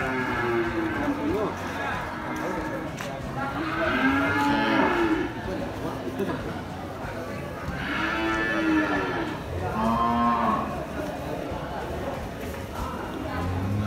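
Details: Several cattle lowing at Pasar Muaro Paneh livestock market, West Sumatra, Indonesia. Long, arching moos come in overlapping waves every few seconds, some deeper, some higher, with busy market noise and voices underneath.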